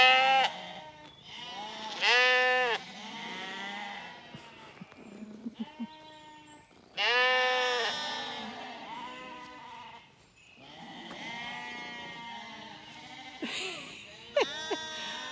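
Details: After their evening meal on a County Kilkenny farm in Ireland, a crowd of lambs separated from their mothers bleat loudly in overlapping, quavering bursts every few seconds, with quieter bleats in the gaps; this is expected to last a few days.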